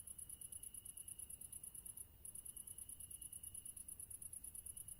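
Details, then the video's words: Crickets chirping in a fast, even train of high pulses, broken by one brief gap near two seconds before resuming at the same quick pace, with a faint continuous tone behind. "Crickets Sound Effect HD"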